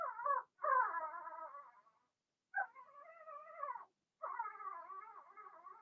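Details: Blenheim Cavalier King Charles Spaniel puppies, one litter of six in a home pen, give loud, quavering cries in three long bursts, the first broken by a sharp catch.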